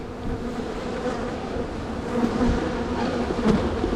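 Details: Buzzing of honey bees from one of two strong, crowded spring hives being split before they swarm. A continuous even hum with a low fundamental and a clear overtone, and faint clicks of frames being moved.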